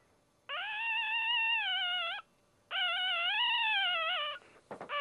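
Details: A newborn male Dachshund puppy, the first of the litter, cries just after birth: two long, steady, high-pitched wails with rich overtones, each about one and a half seconds, separated by a short pause.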